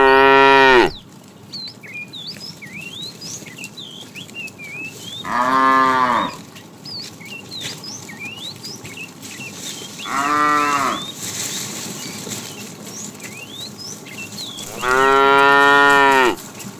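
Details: ['Tame cattle being herded in the afternoon, a fat cow calling the female: loud harmonic moos at the start, around five seconds, ten seconds and fifteen seconds, with chirping birds between.']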